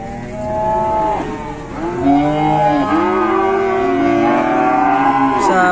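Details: Collapsed cattle being helped up during a rescue in Indonesia, lowing almost continuously: drawn-out, wavering moos that bend down and rise again, overlapping in a strained, moaning run.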